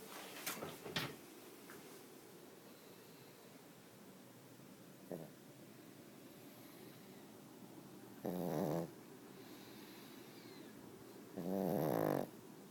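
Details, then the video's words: Sleeping pug snoring: two loud, rough, throaty snores near the end, each lasting about half a second to a second, after a long quiet stretch with a few faint clicks and snuffles early on. "Snoring Pug"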